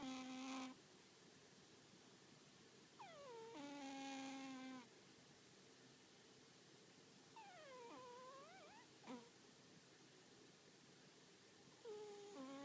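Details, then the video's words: An American Shorthair cat snoring loudly during an afternoon nap: drawn-out nasal tones about every four seconds, some sliding down in pitch, others steady and buzzy, in a quiet room. "我が家の大いびき猫 可愛いすぎるアメリカンショートヘア"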